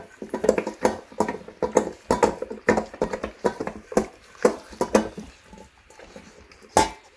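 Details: A Labrador Retriever chews noisily with wet, crunching bites in quick irregular bursts, eating a meal of rice topped with raw quail eggs and raw chicken bones.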